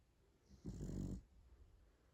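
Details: French Bulldog snoring indoors: a single low, rough, rasping snore lasting about half a second, rumbling mostly in the deep range, then quiet breathing-level background.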